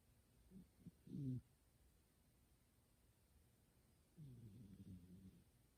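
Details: Pet cat Kuma-tan asleep indoors, making human-like snores: a few short low snorts, then a longer grumbling snore toward the end, quiet room.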